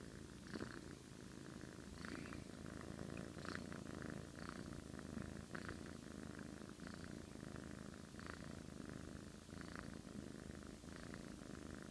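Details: Domestic cat snoring in its sleep, likened to an old man: about ten gentle, rasping breaths, one every second or so, above a continuous low purr-like rumble.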